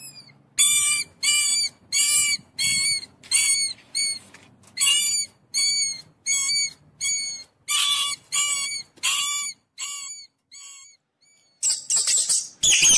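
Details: Rapid series of piercing mouse squeaks, sharply pitched and ringing with overtones, repeated more than once a second at uneven spacing, fading toward the end before a harsh hissing burst of noise closes the recording.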